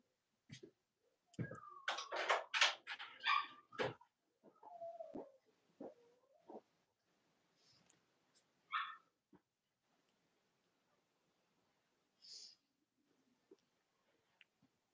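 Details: Cavalier King Charles Spaniel puppies from the litters of mothers Robin and Myra, US, chilly Monday morning: a burst of loud harsh yelping squeals, then wavering whines trailing into scattered faint squeaks and soft shuffling.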